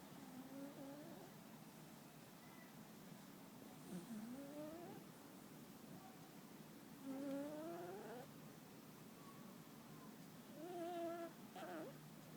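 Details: Muffin the cat asleep and snoring, breaths carrying thin rising whistles, some louder and more drawn out, spaced a few seconds apart in a quiet room.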